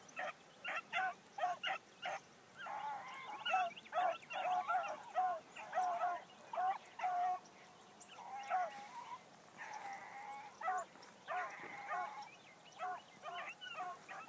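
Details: Hounds running, including a new Blackcreek gyp named Bee on her first morning run, baying at a distance: bursts of harmonic barks and drawn-out bawls repeating irregularly, roughly 48 a minute, over a steady outdoor hiss.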